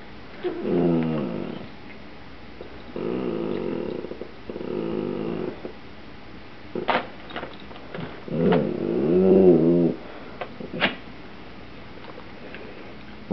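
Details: Rusty, a pet Dachshund, growls while begging for potato chips, pawing at the bag until given a chip; low rumbling, harmonic growls come in bursts of one to two seconds, separated by short pauses and sharp clicks.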